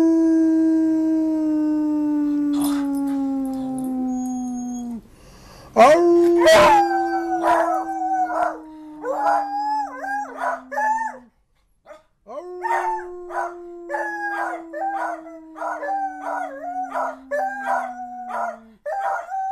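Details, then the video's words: Two pet beagles, Ramsay and Sarah, howl together in wavering, yodelling bays repeated in bursts, over a long steady low droning tone that slides slightly downward and restarts twice. "Beagles howling!"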